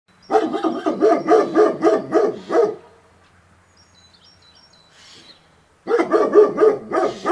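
A German Shepherd barks in quick, deep bursts, about four barks a second, pauses, then starts again.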